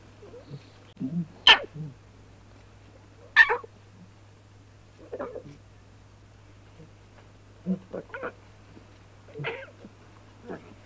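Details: Lion cubs frolicking together in the wild make short, breathy, sneeze-like bursts and soft grunting mews. The calls come irregularly over a faint steady low hum.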